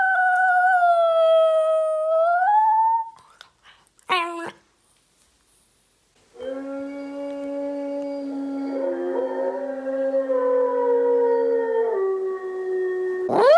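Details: Italian Greyhound; howl; answering a recorded wolf howl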